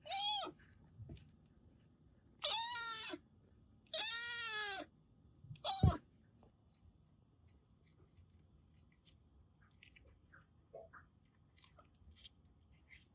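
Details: Daichi, a rescued Siamese mix kitten that lived as a stray in Kagoshima, Japan, during a shampoo: four clear, drawn-out meows with arching pitch, a thump, then faint splashing and small sounds.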